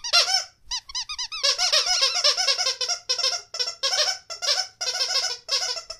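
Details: Indoor Rottweiler teasing its owner with almost nonstop chattering whines: quick, bouncing notes that rise and fall, delivered in dense strings with only brief breaks, fairly loud throughout.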